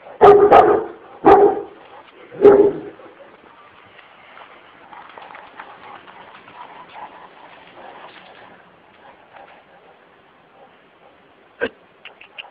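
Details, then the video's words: Aggressive Kurdish Kangal dog called Sub Zero, wanting to attack, gives three heavy barks in the first three seconds, followed by a long quiet stretch of faint background sounds and one sharp click near the end. "Aggressive Kurdish Kangal Dog"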